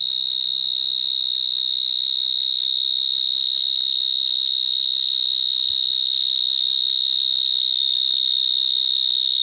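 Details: Gryllotalpa vineae, the vineyard mole cricket, singing from burrow holes in a Gironde vineyard where many are present. A loud, continuous, piercing buzzy trill stays level throughout, with faint low rumbles in the background.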